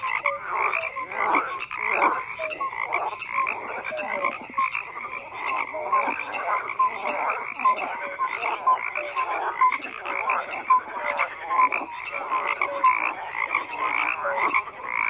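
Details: A continuous chorus of many frogs, layered rattling croaks and scattered brief whistled notes filling the whole stretch without pause, steady and dense, with no other animals or noises.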